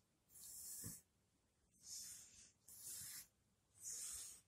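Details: Shiba Inu in its last day of life, with steady wheezing breaths about once a second. Each breath is a soft, sustained hiss over a quiet background.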